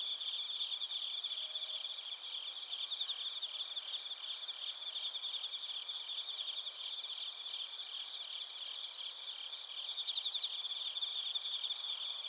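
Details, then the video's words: A continuous high-pitched insect chorus of bell crickets and other crickets in Narita, Chiba, Japan, captured with a TASCAM Portacapture X8. Layered shrill bands carry rapid pulsed trills, swelling slightly louder near the end. "スズムシとコオロギの鳴き声 - Chirping of crickets"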